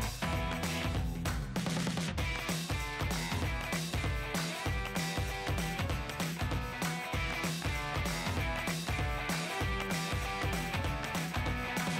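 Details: Driving rock track with strummed guitar, pounding drums and a dense, loud mix throughout, with no dog or other animal voice.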